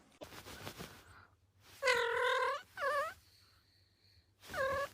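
Puppies give drawn-out, nasal whines, each a steady tone that wavers slightly before fading.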